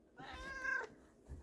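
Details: Domestic black cat meowing indoors while asking for treats; a single drawn-out meow with a strained, rising then level tone lasting under a second, followed by quiet room noise.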